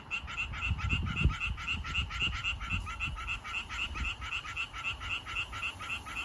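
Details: Male tree frogs calling to attract females: a rapid, regular train of short nasal croaks, roughly four per second, with low rumbling noise in the background.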